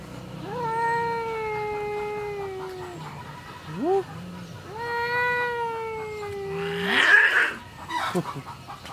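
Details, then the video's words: Female domestic cat angry at the neighbour's male cat, giving long drawn-out wailing yowls with a steady, slowly falling pitch, two lasting over two seconds, split by a short rising whine, then a harsh hissing burst near the end. "Our female cat is angry with the neighbor's male cat"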